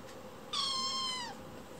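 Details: Young foster kitten indoors, still wanting more food after finishing its meal, gives one clear high meow lasting nearly a second, steady then dropping at the end, in a quiet room.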